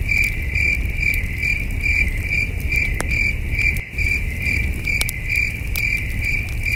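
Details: Steady, high cricket chirps pulse on and on through a calm night at a campsite under the stars; a campfire snaps and pops now and then, with one brief dip in the low rumble.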